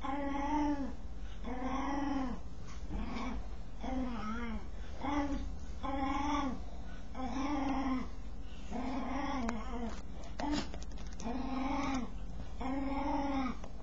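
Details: Dog making a strange noise while scratching itself: a long series of short, arched, nasal moaning whines, each rising then falling, repeated about once a second over a steady low hum.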